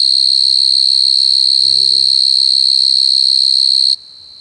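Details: Coconut crickets crying: a loud, steady, piercing high whistle-like trill that holds unbroken for nearly four seconds, then cuts off abruptly, leaving a faint hum. A brief human voice is heard midway.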